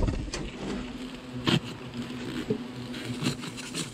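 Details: Agitated European hornets at a nest hidden under styrofoam in a smokehouse chimney inside a gazebo, during nest removal by poisoning; a steady low droning buzz with clear harmonics, broken by a few sharp knocks and handling noises.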